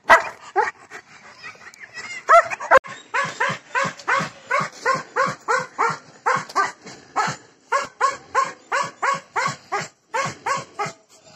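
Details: German Shepherd dog offered for sale in Bangalore, India, barking continuously in a fast, even series of short, clipped barks, about two each second, over a hissing background with some echo.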